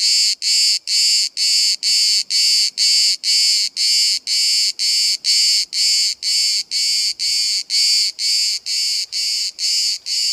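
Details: Bodrum, Turkey: one of hundreds of cicadas that sing all day, recorded very close at 5 cm; intense shrill buzzing pulses repeated steadily about twice a second over soft low background noise.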